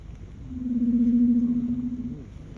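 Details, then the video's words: Large male leopard seal basking on an iceberg in Bulls Bay, Antarctica, in December, singing: one steady, low, slightly wavering tone held for nearly two seconds, ending in a short upward curl, over a low rumbling background. "Leopard Seal Singing"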